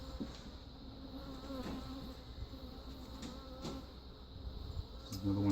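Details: Honey bees at a defensive backyard hive from a caught feral swarm with Africanized genes, during replacement of the queen with an Italian queen; a steady low droning hum with faint clicks and knocks from handling.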